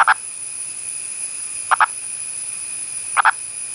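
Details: A wild male Indian purple frog (Nasikabatrachus sahyadrensis), an endangered burrowing species of India's Western Ghats, calls above ground rather than from underground, giving short, hoarse double clucks about every second and a half.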